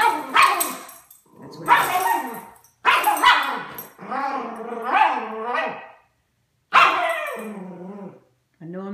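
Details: A Miniature Schnauzer gives muffled, moaning barks through a toy held in its mouth after spotting a squirrel, because he is not allowed to bark indoors.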